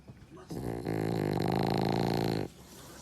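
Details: A sleeping French Bulldog, eyes half open, gives one long rattling snore lasting about two seconds, a harsh vibrating drone that starts abruptly and cuts off, with quiet room background before and after.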